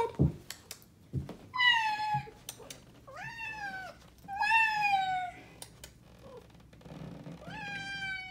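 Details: Indoor domestic cat Athena, black, vocalizing at a family member: four drawn-out meows, some rising then falling, others steadily descending, spaced about one to two seconds apart, with scattered thumps and clicks between calls.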